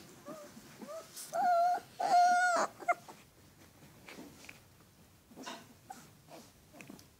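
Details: Alaskan Malamute pups whining indoors: a few short rising whimpers, then two drawn-out, steady whines about a second long, followed by faint scattered whimpers and quiet room sounds.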